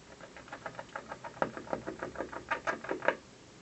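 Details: Squirrel on a windowsill gnawing at an office building in the afternoon: quick dry scraping bites repeating several times a second, growing louder and sharper toward the end, over a quiet indoor background.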